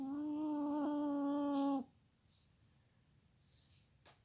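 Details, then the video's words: Molly Marie, a sleeping Chihuahua, gives a steady, buzzy, pitched snore that holds for nearly two seconds, then breaks off into quiet room tone with soft breathy hiss. "chihuahua dog snoring"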